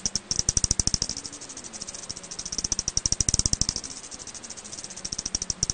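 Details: An Eastern bent-winged bat, recorded in 2020 by Korea's National Institute of Biological Resources, gives a fast, steady train of sharp, clicky pulses over a faint low hum.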